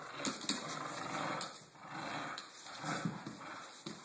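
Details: Blue, an American Bulldog, playing: rough, breathy growling bursts come in uneven waves about every second, rising and falling in loudness over a steady faint hiss.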